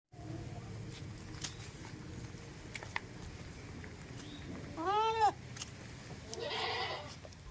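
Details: Farm goat in a village, one short wavering bleat rising and falling over half a second, then a fainter buzzy burst, against steady low background rumble.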